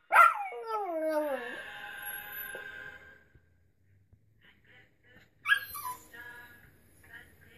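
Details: Quincy Jones, a pet dog, howling along to the Mad Child song It Gets Better: a loud, harmonic-rich howl sliding downward over about a second and a half, fading into quiet, then a brief second rising-and-falling howl.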